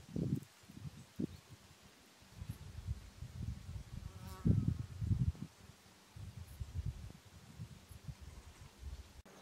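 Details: Red deer at the beginning of the rut, giving low, rough, throaty roars and grunts in uneven bursts, one with a brief tonal groan near the middle, over a steady low hum.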